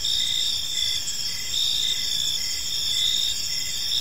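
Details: Crickets chirping on an evening in a park: a steady, shrill high-pitched ringing with short, lower chirps repeated about twice a second, from several callers layered together. No other clear sounds.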